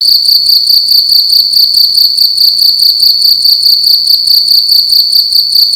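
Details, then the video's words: Cricket calling loudly indoors in a room at night: a continuous high, pure chirping trill made of rapid pulses, steady and unbroken, with faint low thumps underneath. "Cricket making loud sounds at night in a room"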